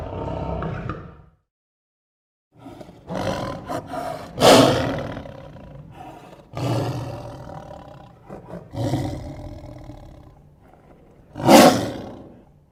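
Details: A lion (Panthera leo) gives deep, rasping roars that swell and fade in rough, powerful bursts.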